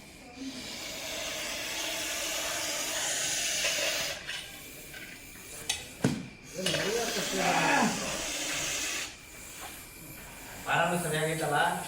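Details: Large Russell's viper during a rescue, later released into the wild; a steady, breathy broadband hiss fills the first four seconds, followed by men talking and handling noises, with a faint high insect tone throughout.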